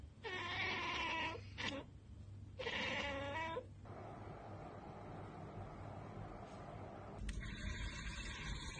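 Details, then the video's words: A cat chattering at a bird or insect beyond its reach, two strong stuttering, bleat-like trills, followed by softer background noise and a steady hiss. "Cats Ekekekeke Compilation - Cats chattering at birds!"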